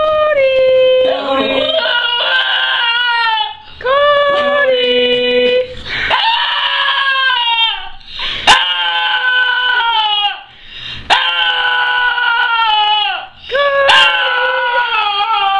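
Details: Cody the dog screaming its head off: long, sustained, harmonic wails about two to three seconds each, wavering and sliding slightly down at the ends, broken by short pauses, with sharp clicks and a lower voice briefly underneath early on.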